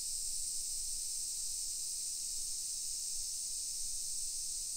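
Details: Summer cicadas in suburban Nisshin, Aichi Prefecture, Japan, early afternoon of 28 July 2021, producing a steady, unvarying high whirring hiss that fills the whole stretch with no breaks.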